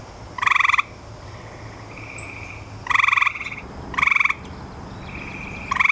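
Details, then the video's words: Grey tree frog giving loud, short pulsed trills about a second apart, each a rapid rattling burst, with fainter frogs trilling between them. "Grey Tree Frog"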